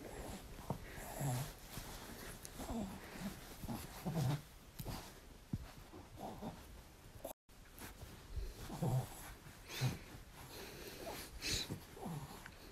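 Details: French Bulldog wanting more cuddles, giving soft low snorts and wheezy grunting breaths roughly every second or two, with brief nasal sniffs in between, in a quiet indoor setting.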